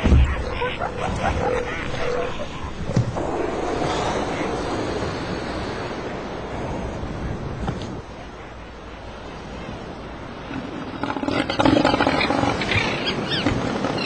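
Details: In Antarctica, near the Antarctic Peninsula, elephant seals give low, rough, belching roars, gurgling grunts and snorts that rise and fade in irregular bursts, with faint human voices and wind behind.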